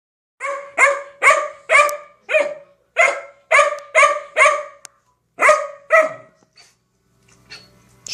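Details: Freshly groomed female puppy, indoors, vocalizing at length after a visit to the groomer: a rapid run of about a dozen sharp, harmonic barks, roughly two per second, then a pause and a few more, ending in faint low sounds.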